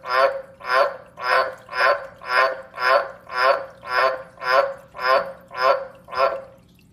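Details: A tree frog gives its mating call, a steady series of raspy, honking croaks at a little under two per second.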